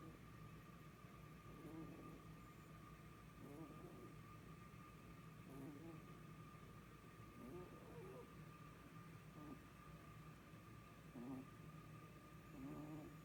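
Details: Sleeping rabbit snoring: soft, rasping breaths repeated roughly every two seconds, seven snores in all, over a steady low electrical hum.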